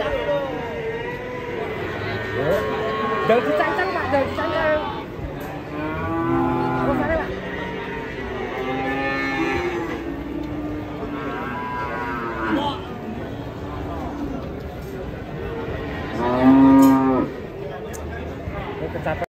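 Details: An enraged cow draws a crowd of frightened onlookers. It gives long, low, harmonic moos that rise and fall, near 6, 9 and 16 seconds, the last the loudest. Human voices murmur throughout.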